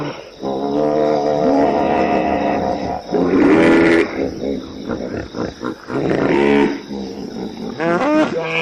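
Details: Several hippopotamus voices overlapping in rich, tonal bellows and wheezing honks, with a brief rising squeal partway through. The calls come in uneven bursts of about two seconds, separated by short lulls.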